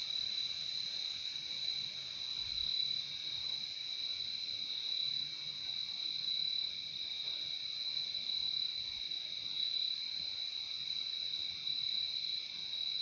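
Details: Continuous shrill trilling of crickets, a dense, unwavering high buzz that holds steady from start to finish over a quiet background, part of a calming nature soundscape.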